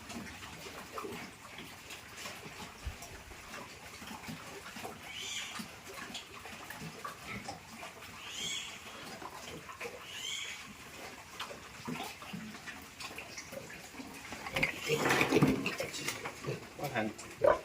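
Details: Piglets being moved into fattening pens on a pig farm give loud squeals and grunts, strongest near the end in a burst of harsh shrieks, over steady farm noise and running water.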